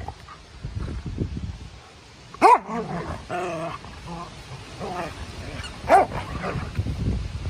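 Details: Two dogs wrestling in play on a Sunday, a Norwegian Elkhound giving two loud, sharp barks a few seconds apart over continuous low grumbling, whining and scuffling sounds.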